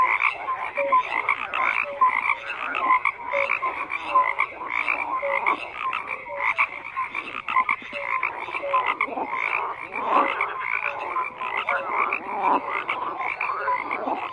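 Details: Frogs croaking in a dense chorus: many overlapping rough, raspy croaks repeating without pause, with short tonal notes dotted through, forming a steady unbroken wall of calls.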